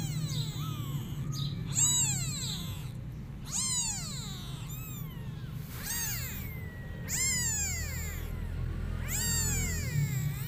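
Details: Kittens meowing and crying as they call their mother cat, who runs away from them; high arched meows repeated roughly every one to two seconds, several overlapping voices, over a steady low background hum.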